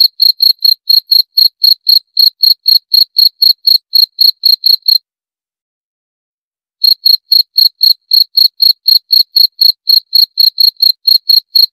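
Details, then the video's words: Cricket calling in quick, high, bright chirps, about four per second, then falling silent for nearly two seconds before the same steady chirping starts again. "40 Menit Suara Jangkrik - 40 Minutes Cricket Sound Effect"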